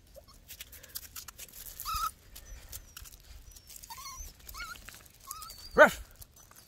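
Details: Miniature Pinscher puppies aged 11 weeks, 21 February 2021: brief thin whines spaced a second or two apart, ending in one sharp, louder yelp near the close, with a quiet background.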